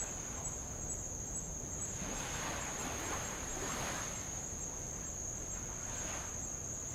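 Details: Sustained shrill insect whine from Avalau island, Tonga, near old lava, with faint rapid ticking above it; light waves wash in and out with soft hissing surges, heard while rowing around the island.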